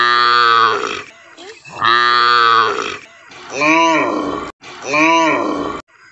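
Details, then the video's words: Village cow in Assam, India, giving four loud, low, nasal moos, each about a second long and spaced roughly 1.5 seconds apart; the first two are flat and buzzy, the last two rise and fall, with abrupt cuts between them. "Village Cow sounds Mooing video"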